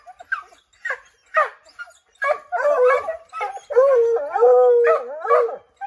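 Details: Pack of Redbone Coonhounds treeing a chipmunk up an oak, trying to drive it out; scattered barks build into overlapping voices and a long, wavering drawn-out howl near the end.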